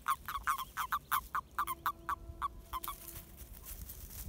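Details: Toads in their mating season, a run of short, clipped croaks repeated about three times per second, several callers overlapping, the calls growing fainter and more scattered toward the end.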